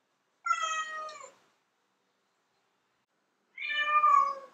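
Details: Female domestic cat meowing loudly, a call said to attract males; two drawn-out harmonic meows about three seconds apart, the second slightly longer and falling, in an otherwise silent background.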